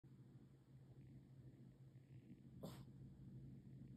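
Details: A bell-ringing puppy gives one short, breathy sneeze burst partway through, a sharp puff of air against a quiet, steady low hum.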